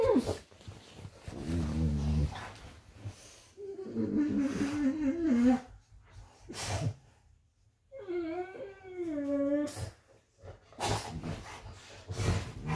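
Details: Rudy and another golden retriever wrestle playfully in bed indoors, giving drawn-out, warbling whine-growls that rise and fall in two long bursts, between soft thuds, sniffs and brief human speech.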